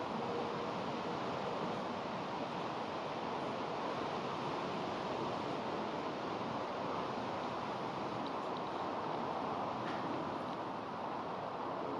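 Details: Steady, even rushing noise like running water continues throughout, with no other distinct sounds.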